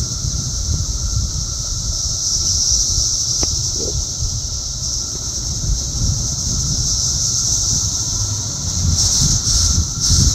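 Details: Many cicadas buzzing and flying around in the south suburbs of Chicago, Illinois, on June 3, 2024, make a loud, steady high-pitched droning chorus that holds without a break, with low rumbling wind noise underneath.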